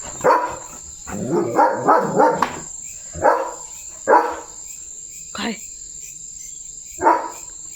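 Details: Leo, a pet German Shepherd playing with a water mug held in his mouth, gives a quick run of four barks, then single barks spaced about a second apart, while a person talks between them over a faint steady high whine.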